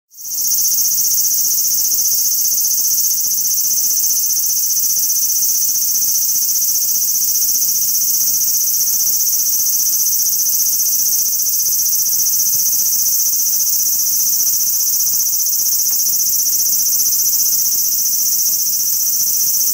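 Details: Large brown cicada singing on a cherry tree in a park: a continuous, loud, harsh sizzling drone that stays steady and unbroken throughout, with no other clear sounds.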